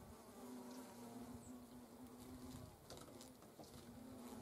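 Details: Autumn hornet colony at the comb as workers remove larvae in the 'annihilation of autumn brood'; an even, humming wing buzz drops out briefly near the end and then resumes, over soft crackling background noise.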